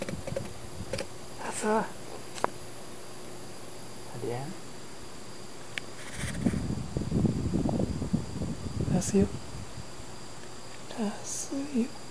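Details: Sleeping cat answering with soft, brief murmured meows, several short harmonic chirps spread across the stretch, while a person talks quietly in the middle part.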